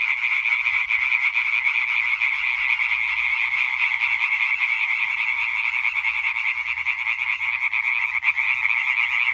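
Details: Massed European tree frogs croaking together on 20 May 2023, a singing concert: continuous high rattling chorus of many overlapping voices, even in volume from start to finish, no other sounds.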